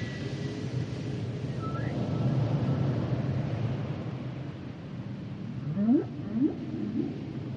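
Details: Humpback whale song with a rumbling low background for several seconds, faint high whistled notes early on, then a pair of rising upswept moans near the end.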